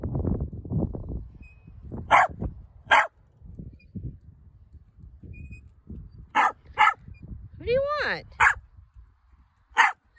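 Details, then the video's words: Female Corgi, just out of a cast, barks because she wants to get off the wagon: about six sharp, loud barks spread over ten seconds, with one rising-falling whine near the end and a person talking at the start. "Corgi 🐶 wants to get off wagon after taking off cast"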